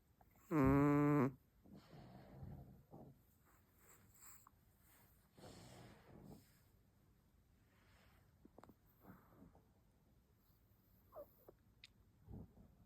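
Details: A Chihuahua snores with one short, harsh, fluttering rasp near the start, followed by a long run of quiet, soft breathing and faint snuffles.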